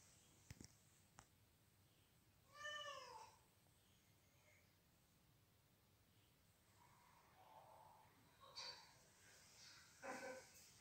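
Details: Domestic cat seeking out and pursuing what it hears as intruding felines in its territory; several harmonic meows spread across the clip, a strong one near three seconds and shorter ones later, with faint clicks and background hiss.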